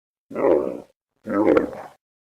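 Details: Camel snoring: two rough, raspy grunting snores, each about half a second long, separated by a short silence.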